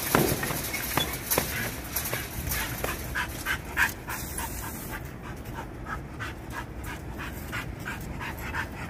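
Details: A dog at a kennel panting fast, breathy puffs about three a second in a steady run, with a sharper burst in the first moment; constant low background hum, no clear voices.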